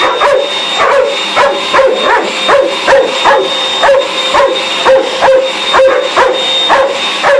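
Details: Domestic dog frantically barking at a hoover in use: sharp, high-pitched yaps fired off in quick succession, several per second at times, against a constant mechanical hum.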